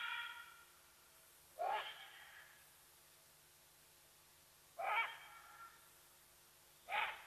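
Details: Side-striped jackal at Sabi Sands, beside Kruger National Park, South Africa, alarm-calling at a leopardess: four brief, hoarse, rising yaps at irregular gaps of two to three seconds, against constant low hiss.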